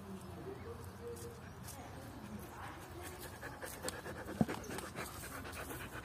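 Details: Panting from Luna, a lively Belgian Shepherd pup aged 11 months, during a game of fetch with a boot; breathy, rhythmic huffs over outdoor noise, a sharp knock near the end, a person's voice calling in Portuguese.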